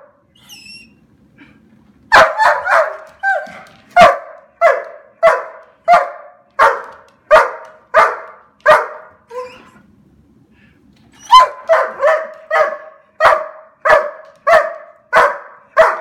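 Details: Very excited black German Shepherd barks in two rapid runs of about a dozen sharp barks each, separated by a soft whine, with the barks coming roughly every half second.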